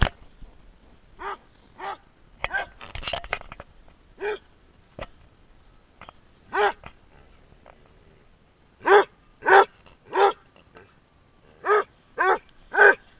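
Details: Basset Hound barking as it runs, short rough barks spaced irregularly, a scuffling burst early on, then a tighter run of five loud barks near the end.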